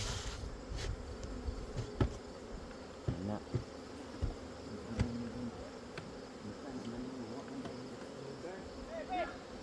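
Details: Honey bees buzzing at a hive a couple of weeks after a captured swarm was housed, which went on to fill a heavy box of honey; a steady low hum with scattered clicks, knocks and brief handling noises.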